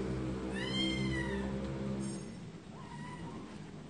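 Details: Cats meowing: one long clear meow rising and falling in pitch, followed by shorter fainter meows, set against a persistent low hum.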